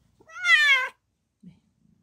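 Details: Domestic cat, a mother giving birth to four kittens: one clear, drawn-out meow lasting about two-thirds of a second, strongly harmonic and sliding gently downward, followed by a soft low thump and near silence.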